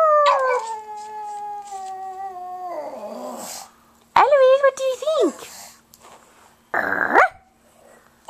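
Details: Pug's sustained howl holding a steady tone for nearly three seconds before dropping into a raspy trail-off, followed by a wavering vocal burst and a short noisy sound.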